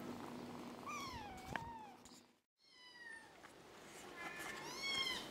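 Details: Kittens four weeks old giving high, thin meows, several slurred falling calls with rich overtones, a short silent break midway, then overlapping squeaky mews near the end over a low steady hum.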